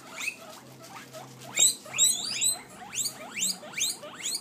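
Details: Hungry guinea pigs give shrill, squealing wheeks in a quick series, several overlapping calls each second.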